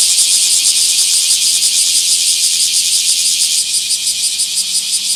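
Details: Bear cicada in a small park, 24 July 2026, giving a dense, nearly continuous rasping buzz with fast pulsing beneath, a faint low hum in the background.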